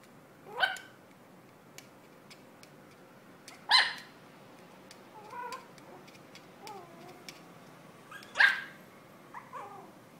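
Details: A Yorkshire Terrier puppy gives sharp, high-pitched barks a few seconds apart, with softer whines between.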